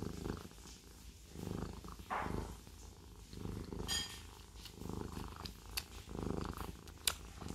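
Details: Low rhythmic purr of a Siamese cat, rumbling pulses with a few brief clicks and a sharp tap near the end.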